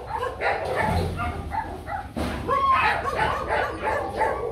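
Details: Nano, a young male Rottweiler breeding dog, barks as kennels are swapped with another dog, Luffy. Barks come in a rapid, uneven run of about three per second, mixed with background music and a person's voice.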